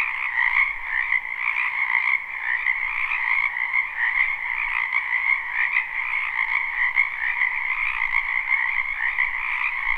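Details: Wetland frogs in spring, recorded live near a house: a thick, even chorus of overlapping trills holding a steady high pitch over a softer lower band, constant throughout with only slight swells in loudness.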